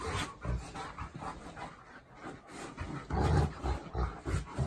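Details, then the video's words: Two pet dogs, a Golden Retriever and a Labrador Retriever, fighting each other indoors: low, rough growls and huffing breaths in short uneven bursts about three per second, with louder grumbling near the end. "Sam Golden Retriever and Tucker Labrador Fighting Each Other"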